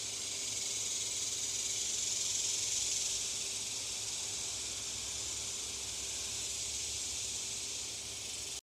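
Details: In Oklahoma, cicadas fill the air with a steady, high, hissing buzz that never lets up.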